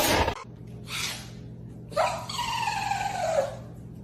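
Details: A single long meow from a cat in a funny meme clip. It rises sharply and then slowly falls away, with a brief noisy burst and room hum before it.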